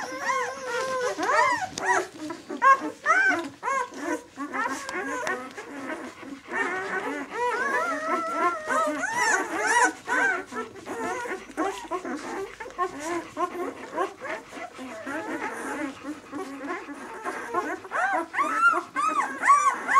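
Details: A litter of White German Shepherd puppies at six days old gives a steady stream of soft, wavering whimpers and grunting squeaks, many voices overlapping in a dense, fairly low-pitched murmur of whines.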